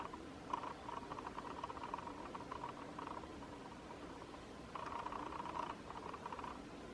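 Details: A group of golden jackals gathered to socialise, filmed from a distance, gives bursts of rapid, high yipping cries over a steady background hiss.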